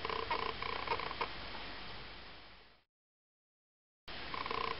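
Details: Ocicat kittens, eight weeks old, from parents Malika and Frodo: a fast, rhythmic, pulsing purr-like rumble fades into a moment of silence, then the same pulsed throbbing returns.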